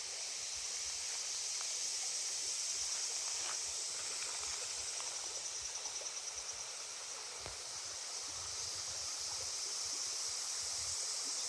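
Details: Cicadas along the Genka River give a constant high-pitched drone that briefly turns into a quick throbbing pulse near the middle, set against the steady rush of stream water.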